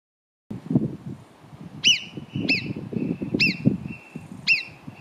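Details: Marmots below Arpisson near Cogne give sharp, piercing whistles that drop quickly in pitch, repeated about every second.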